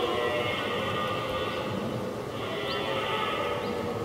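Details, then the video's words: Red deer stag during the rut in 2023, one of two stags that challenged each other from afar for several minutes before fighting; a continuous, harsh, rough bellow held for about four seconds, dipping slightly midway, with a grainy, noisy background. "Brame et Combat : Brame du Cerf 2023"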